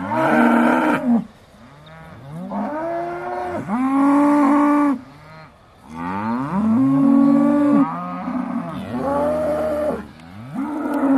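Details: Beaulands Aussie Red dairy cows waiting to be milked in December 2012, several cows mooing in turn: four or five drawn-out, rising-then-level moos about a second or more each, separated by short quieter gaps, voices overlapping at times.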